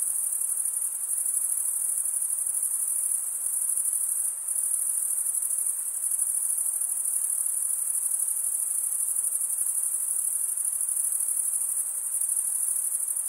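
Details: Stridulating crickets fill the air with a constant piercing high trill, finely pulsed and even, with one short faint interruption early on and otherwise no change; no other animals or noises.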